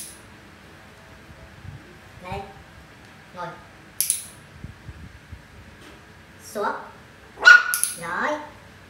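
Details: Mun, a Poodle in home obedience training at BossDog Center in Thủ Đức, Vietnam, during a five-day course; after quiet stretches with a trainer's low voice, short bright barks burst out near the end, one after another.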